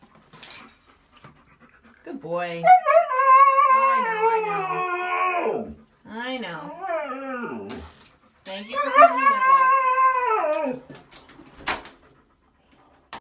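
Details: Dramatic Siberian Husky refusing to go for a walk, producing three bursts of warbling, talkative howls with bending pitch, separated by pauses, with a short yip near the end.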